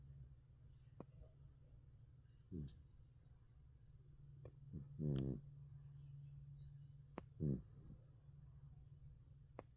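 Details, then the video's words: American Bully puppy on its first night in the bed, sleeping and dreaming; short low snorting snores at irregular intervals, about three over ten seconds, over a steady low indoor hum. "Bully Bulldog puppy 1st night in the bed Snoring and dreaming sleeping 😴 like a baby"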